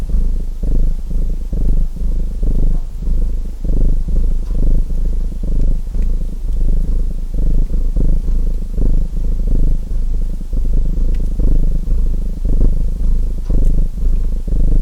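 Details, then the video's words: Domestic cat purring steadily, a throaty low rumble pulsing rapidly with each breath, a fireplace crackling faintly alongside. "Purring Cat Sounds"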